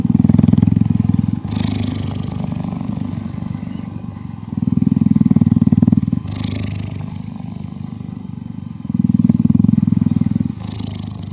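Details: Deep rhythmic purring from a cheetah during cuddling, loud rumbling bursts alternating with quieter stretches roughly every two seconds, a fast buzzing vibration throughout.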